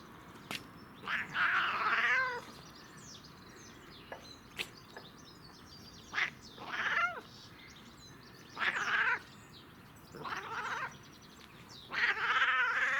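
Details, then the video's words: Domestic cat making funny, weird noises while enjoying catnip: about six drawn-out, harmonic meows, some wavering and bending downward, spaced irregularly over a quiet background. "Cat Makes Funny/Weird Noises While Enjoying CatNip"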